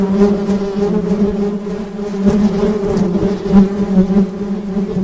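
A honey bee gives a steady, low, droning buzz that holds its pitch throughout.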